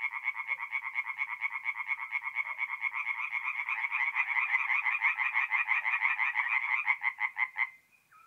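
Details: Night chorus of tree frogs at a forest pond in north-east Italy in mid-April, quick repeated croaks rising in strength toward the middle, then cutting off abruptly near the end.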